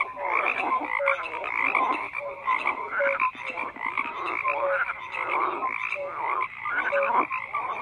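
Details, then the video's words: Massed frog voices form a continuous croaking din. Bursts of raspy calls alternate with brief tonal peeps, and the chorus dips slightly in volume around the sixth second. "FROGS CROAKING"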